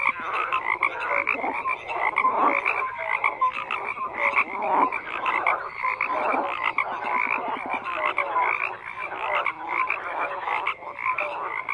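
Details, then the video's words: Many frogs croaking together in a dense chorus, overlapping rasping pulsed croaks centred in the mid range with bright upper harmonics, steady and unbroken throughout, scattered short tonal notes poking through. "FROGS CROAKING"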